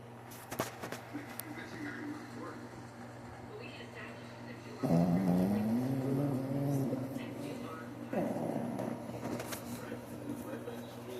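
A Shih Tzu snores softly, each breath a low rumbling rasp with a faint whistling rise.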